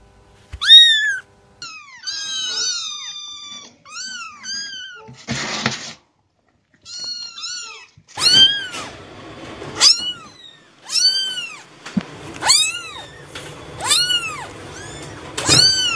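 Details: Cats giving a long run of meows, some short and arched, others drawn-out and wavering, coming in bursts with brief pauses; a short scratchy noise sounds midway, in an otherwise quiet indoor setting.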